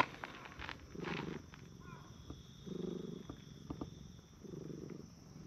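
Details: Purring from a pair of park stray cats, a brown tabby and a tortoiseshell, sitting on a bench and petted in turn: low rumbling purr in three steady bursts about every one and a half seconds, with faint rustling between.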